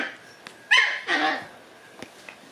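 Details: White female Shiba Inu puppy born on 11 May gives two short whining yelps in quick succession, the first sharp and rising, the second lower and drawn out, with faint clicks and a quiet room behind.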